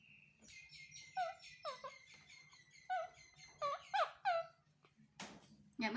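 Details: Young male monkey whimpering for his mother's comfort and a hug, giving repeated high descending squeals and wailing cries in uneven bursts, indoors, with brief human voices toward the end.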